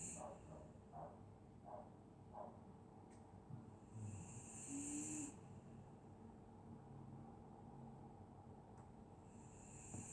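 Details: Dog asleep on a winter night in Scotland, snoring with a few soft breathy puffs early on, then one long hissing, rasping inhalation in the middle and a fainter one near the end, against a low indoor hum.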